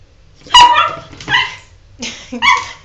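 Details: Jordan, a pet dog, protests at being given a bath: four high, strained whining yelps, two close together, then a pause, then two more, with bright harmonics and no other clear sounds.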